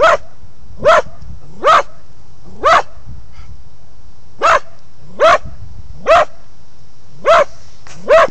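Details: Cocker spaniel in a park, barking at a sign, phone recording: about ten loud, clipped barks in quick irregular succession with a short pause mid-way, each bark bright and ringing above a steady low background hum.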